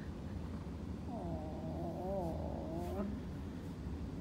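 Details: Chara, a female cat, calls while getting a massage from her owner: one long, wavering meow lasting about two seconds, its pitch sliding up and down, over a low steady indoor hum.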